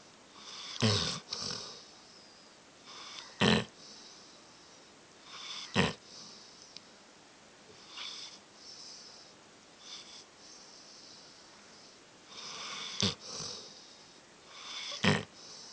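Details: Dog snoring loudly indoors: rough broadband snorts at irregular intervals, roughly every two to three seconds, with quieter wheezy breaths between.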